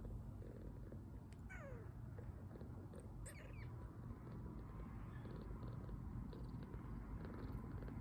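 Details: Two-week-old male foster kitten recovering from poor health, resting after a feed; low continuous purring underneath, with a few brief high squeaky descending sounds near the start.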